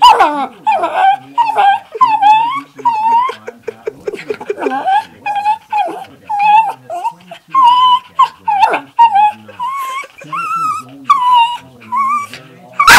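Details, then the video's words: A female pet dog's funny 'talking': a long run of high, wavering whines and yips, some rising and falling, others short and clipped, coming in quick bursts with brief pauses, ending in a sharp noise. "funny dog sounds"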